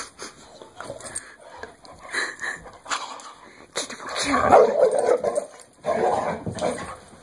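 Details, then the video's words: Indoor dog attacking and shaking a Kong bone toy, known for its strong jaws; snarling, growly outbursts grow longer and louder toward the end, with a sustained rough rumble and clattering toy noises. "Dog Shaking KONG Bone Like A Lunatic"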